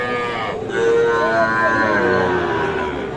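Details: Sahiwal bull calves at the Aftabganj cattle market in Nawabganj, Dinajpur, Bangladesh, on 16 July 2024: a sustained, fairly high harmonic moo lasting more than two seconds, with bargaining voices and market murmur behind it.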